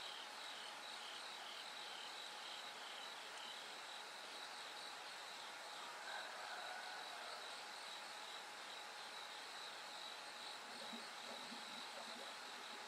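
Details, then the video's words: Bell crickets ringing through the night into the first light: dense repeated high trill pulses over background hiss, with a brief faint bird-like chirp midway and a low murmur near the end. "bell cricket Cry of falling insects"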